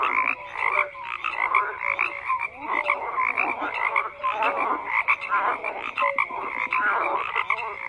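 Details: Crowded frog chorus of grating, pulsed croaks and brief tonal notes, some calls sweeping upward, sustained without gaps.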